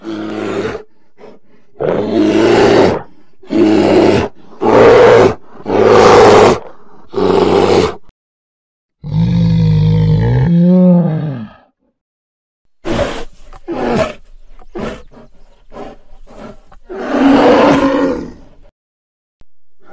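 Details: Polar bear: a rapid series of deep, throaty roaring growls, each about half a second long, then a drawn-out lower groan with wavering pitch, followed by shorter, rougher huffs and a final growl.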